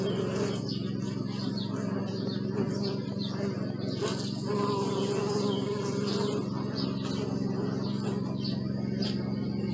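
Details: Bee buzzing recorded on a Sony Alpha 6000 forms an even, low drone with slight swells in loudness, overlaid by scattered high bird twitters and chirps throughout.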